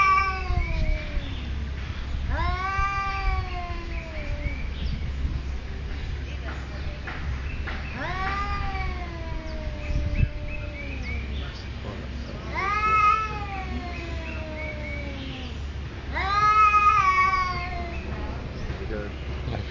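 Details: Two territorial cats at a resort in Thailand exchange repeated rising-and-falling yowls, roughly every two to four seconds, while people talk nearby over a low rumble.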